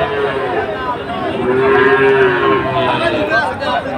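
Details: At the Ambari market, Sahiwal bulls are being sold to traders from Chattogram on Monday 24 July. A sustained, level low moo dominates midway, with fainter lowing and crowd chatter throughout.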